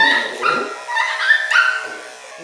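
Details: A 3-month-old male Miniature Schnauzer puppy at his second grooming lets out high, wavering whines and yelps, protesting dramatically as clippers run down his body.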